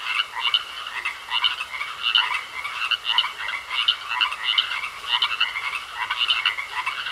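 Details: Pond frogs croaking in a dense chorus, bursts of rasping croaks pulsing roughly every second with a constant high-pitched hum beneath.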